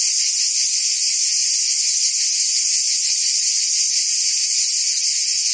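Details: Summer chorus of cicadas in Provence, France, a constant high, sizzling drone from many insects, even in loudness from start to finish, no other sounds standing out.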